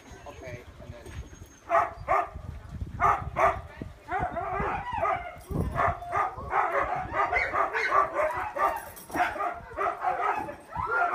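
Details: Excited sled dogs at Caribou Crossing Trading Post, Yukon Territory, Canada, keen to be picked for cart pulling that trains them for winter sledding; a crowded chorus of sharp barks and yips, nearly continuous, with voices mixed in.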